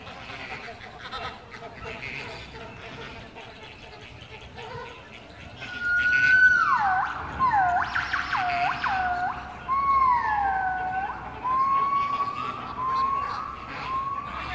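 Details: After a stretch of human chatter, gibbons at Artis, Amsterdam, break into loud swooping hoots that dip and rise in quick loops, followed by gliding upslurred whistles.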